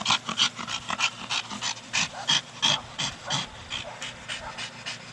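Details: Staffordshire Bull Terrier Brogan, aged 4, pants in quick, slightly uneven hissing breaths while at play with his big hard plastic ball, the breaths growing softer toward the end.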